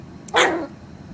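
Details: Three-month-old Toy Poodle puppy, born November 2014, at play with other dogs, giving one short, sharp, high yip that breaks off quickly against a quiet background hum.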